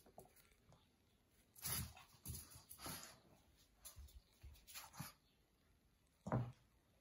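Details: A pair of Boston Terriers, one male and one female, vocalizing in the morning with brief whimpering and grunting notes spaced irregularly over several seconds. A final louder yelp stands out against low indoor background noise.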